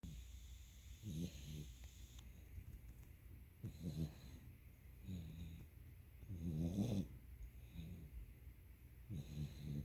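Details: Domestic dog asleep on its owner's lap, head resting on the owner's belly, snoring loudly: rough, rattling low snores in bursts every two to three seconds, each a pulsed buzzy breath, with a faint steady hiss behind.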